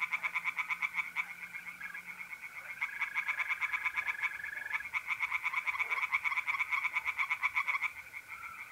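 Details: Tree frogs in a pond on an April night in north-east Italy give loud, fast-pulsed rattling croaks in long bursts, several overlapping. Mole crickets trill steadily underneath, and a low hum is heard briefly at the start.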